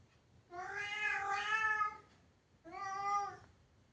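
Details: Cat complaining behind a closed door, trapped indoors and unable to get out: one long, rich, strained meow lasting about one and a half seconds, then a shorter second meow after a brief pause.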